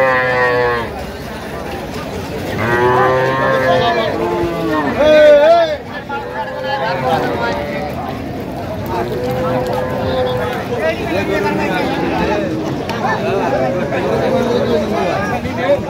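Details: Cows at the Aftabganj cattle market on 28 October 2025, lean dairy cows offered for sale; several drawn-out harmonic moos rise and fall over steady crowd chatter and market noise.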